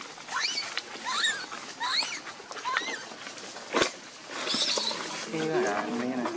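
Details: Baby monkey Lucie, hungry and crying for milk, gives a series of wavering, rising-and-falling whiny cries about once a second over steady background noise, with a sharp click midway and a low murmur near the end.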